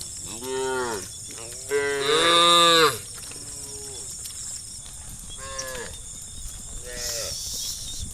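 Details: Herd of cows roaming a dusty country road in late afternoon, calling the others home to the barn; several moos, one loud and strained in the middle, others shorter and fainter, with a continuous high insect buzz behind.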